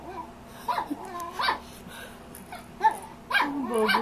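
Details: A Shih Tzu barking at his own reflection gives sharp, high yapping barks in irregular bursts, with a person talking nearby.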